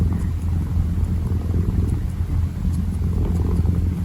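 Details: Kitten kneading and purring, a steady low throbbing rumble that runs unbroken through the short stretch, with light scratchy rustles on top.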